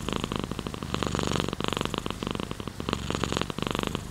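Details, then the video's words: Pet cat purring contentedly, a low vibrating drone pulsing rapidly and cycling in short rounded phrases with the breath, one slight pause near the middle. "Sleeping with Purring Cat in Your Arm | Rain Sounds, Cat's Purr"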